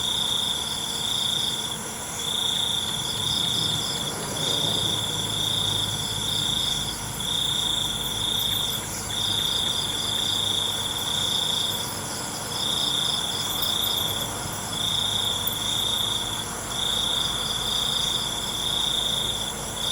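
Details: Nighttime crickets keep up bright high trills in regular pulsed bursts of about a second, set against a rich insect chorus, with a low humming rumble in the background.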